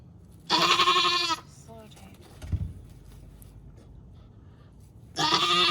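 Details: A first-time Nigerian Dwarf dairy doe on a Northern California farm, in labour with twins, gives two long, loud, raspy bleats. A short soft sound and a dull thump fall in the quiet stretch between them.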